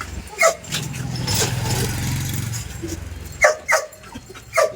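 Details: Belgian Malinois being trained to stay, with single sharp barks at the start and a quick group of three near the end, separated by a low rumble that sounds like a passing vehicle.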